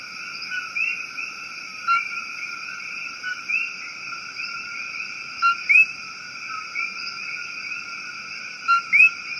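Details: Male coqui frogs in Puerto Rico give two-note 'co-qui' mating calls, a short low note jumping to a higher rising chirp; the frogs were heard but not seen.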